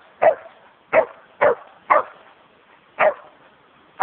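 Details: A nearly four-year-old Samoyed dog at Chessel Bay, Bitterne Manor, Southampton, England, filmed on a low-quality camera phone, gives six short sharp barks spaced roughly half a second to a second apart.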